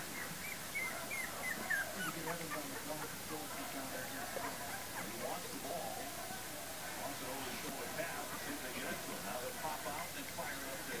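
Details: Young puppies of Libby and Hoops's litter, born January 28, 2012, let out a short run of shrill, wavering squeals near the start, then quieter scattered whines beneath continuous people talking and room noise.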